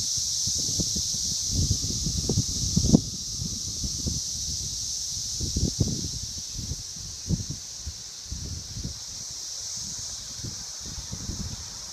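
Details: Brood XVII periodical cicadas emerging near Logan, Ohio, forming a steady, high, droning chorus that holds unbroken throughout, over repeated low thumps and rustling close by.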